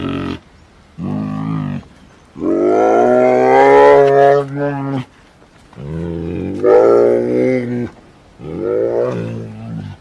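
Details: A Sri Lankan sloth bear (Melursus ursinus inornatus) gives a series of deep, drawn-out, moaning roars with wavering pitch, a call used to communicate with other bears.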